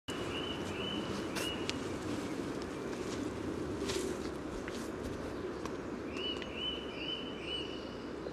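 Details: Common frogs calling at a spawning site beside the yellow trail in Sunnersta, Uppsala, Sweden, recorded just above the water with a Telinga parabolic microphone and Olympus LS14: a dense, low purring drone throughout, with short bird chirps overhead.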